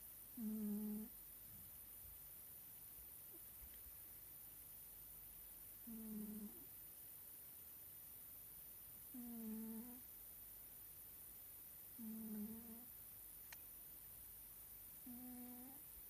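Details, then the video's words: Scottish Fold cat Nelsik snoring while asleep indoors: five low, nasal, harmonic snores, each about half a second long, repeated roughly every three seconds over a quiet room background. "Кот-храпунишка Тссс... ходим на цыпочках и не мешаем коту спать"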